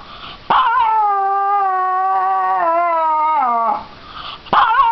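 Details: Pet dog crying: a long, steady tonal wail held for about three seconds, dipping lower at its end, then a pause before another cry begins.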